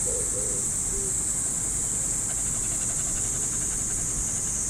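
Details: Cicadas in the trees of a Japanese park on an early summer morning give a steady, hissing high drone that holds unbroken throughout, with a few faint low tones near the start beneath it.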